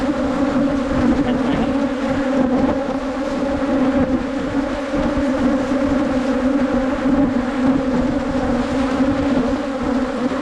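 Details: Asian honey bees, wild colony located on a 2022 honey-hunting trip, producing an unbroken low droning buzz that holds a constant pitch for the whole stretch.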